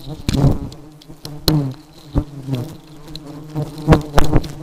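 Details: Buzzing of highly aggressive honey bees, a low humming drone punctuated by loud sudden thuds and clicks roughly every second, with brief louder surges as insects pass near.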